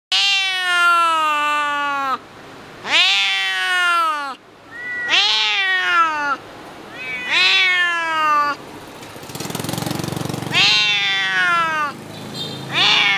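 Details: A domestic cat howls in distress inside a small cage at a slaughterhouse in Hanoi, Vietnam, 2022: long harmonic wails repeated about every two seconds.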